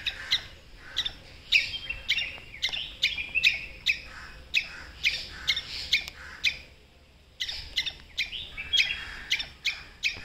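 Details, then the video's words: A squirrel gives sharp, repeated kuk barking alarm calls, short harsh chucks about twice a second, warning other squirrels of a predator. "Squirrel kuk” sound"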